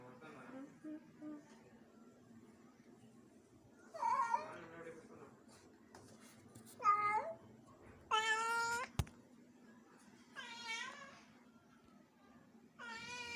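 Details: Indoor pet cat in Bangalore trying to play with a house lizard, giving scattered harmonic meows, some short and some drawn out and rising then falling, separated by quiet pauses over a low steady hum.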